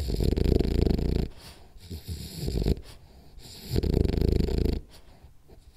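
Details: Sleeping Rolly the French Bulldog gives rhythmic, rattling snores, each lasting about a second, with soft snorts and breathy pauses between them.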